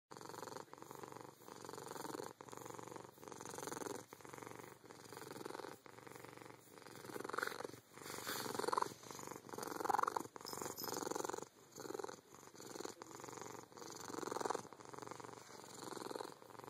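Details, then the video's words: A very happy domestic cat purring so hard it breaks into a higher-pitched trill: continuous buzzing purr in rhythmic pulses, swelling and easing with each breath about every second, occasional brief trilled notes rising over it, indoors. "Trill Purring"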